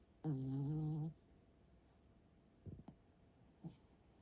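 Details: Tired dog asleep indoors lets out a loud, even, humming snore of nearly a second, followed by a few soft breathy snuffles in a quiet room.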